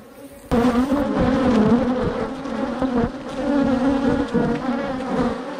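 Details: Angry bees attacking a GoPro camera swarm around it. After a sudden start, a loud, steady, low droning buzz follows, with overlapping wingbeat tones wavering in pitch as individual bees pass close.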